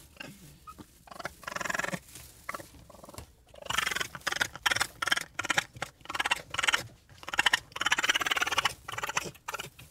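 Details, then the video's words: Raccoon producing harsh, noisy, broadband chattering and hissing bursts in an irregular run, rougher and less tonal than a trill, with only short breaks. "What does a Raccoon sound like?"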